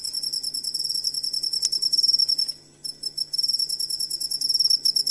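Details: Cricket sound used as master training audio for songbirds; dense, high, rapid pulsed chirping in steady trains, with a brief pause near the middle and a single sharp click.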